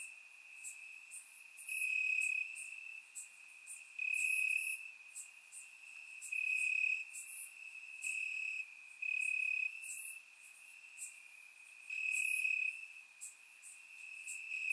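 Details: Crickets sing in the grass on a warm summer night in Bulgaria: a constant high trill pulses louder about every two seconds, layered with scattered sharper insect ticks from other callers.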